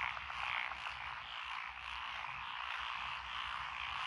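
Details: Short burst of a massed frog chorus in lotus-planted rice fields by a country lane in Echizen, Fukui, Japan, June 2021, with tree frogs, pond frogs and wrinkled frogs. The croaking is dense and unbroken, a touch louder at the start.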